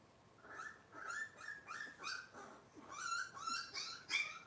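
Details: Robin's litter of Cavalier King Charles Spaniel puppies, kept indoors, whines in a run of about eight short, high, wavering yelps, one every half second, growing louder and sharper toward the end.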